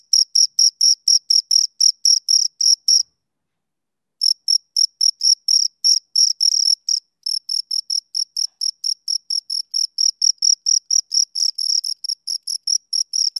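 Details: Two crickets chirping: crisp, high, rapidly pulsed chirps repeated in a steady, even rhythm, with a brief pause after about three seconds before the regular pulsing resumes; no other sounds.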